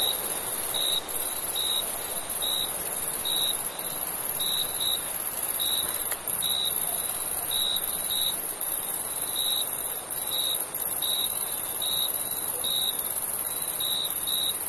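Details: Summer crickets at night produce clustered short chirps, often in pairs, over a dense unbroken high trill; a quiet steady hiss fills the background.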